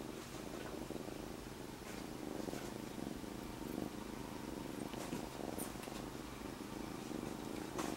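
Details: Recently rescued domestic kitten named Monaka resting on someone's belly, giving an unbroken deep purr that throbs evenly for the whole stretch, with a few soft clicks of movement in a quiet room.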